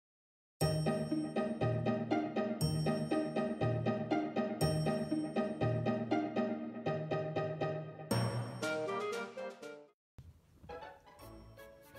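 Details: Light tinkling children's-style music with bell and ding tones that fades out near the end; no animal sound is heard.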